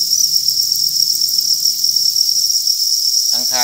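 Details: A steady, ringing high-pitched buzz from a crowd of farmed crickets fills nearly the whole recording, with only a brief burst of human speech right at the end.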